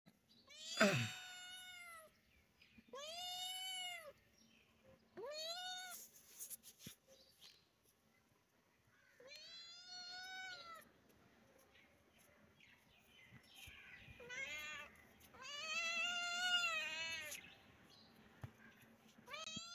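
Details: Kitten meowing in a series of high, arching cries about every two to three seconds, some rising and falling with a slight waver, with quieter gaps between calls and a faint low hum underneath.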